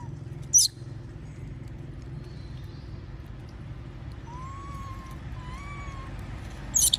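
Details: Begging for food while others munch peanuts, the monkey Moby gives two plaintive tonal coos in quick succession, framed by shrill squeaks at the start and end; low hum beneath.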